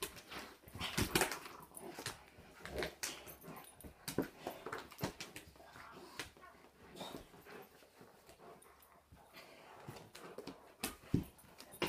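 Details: German Shepherd, called giant, in a private home during a supposed vicious attack; scattered sharp noisy bursts at uneven intervals over a low background hum.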